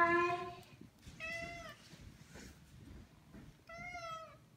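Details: Maine Coon cats indoors begging to go outside; three drawn-out meows, the first loud, the next two rising then falling, about two seconds apart, with a person talking to them quietly between calls.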